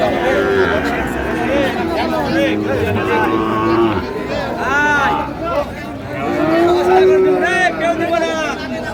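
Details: Sahiwal bull calves at a cattle market in Chattogram, Bangladesh, 7 March 2025: several drawn-out, wavering moos rise and fall over steady crowd chatter and men's voices bargaining close by.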